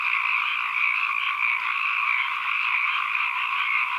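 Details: Dense chorus of many frogs as an ambient recording, a continuous buzzing, trilling wall of overlapping calls in two steady high bands with faint rapid pulsing, no gaps and nothing else audible.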